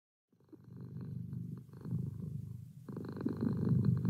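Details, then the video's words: A domestic cat purring: after a brief silence a low, steady rumbling purr fades in and continues, growing louder toward the end, with the rumble briefly brighter near three seconds. "Cat Purr"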